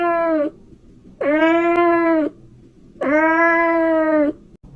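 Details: Kitten meowing to attract cats: three long, even, richly harmonic meows, each about a second long and separated by short silences, in a quiet setting.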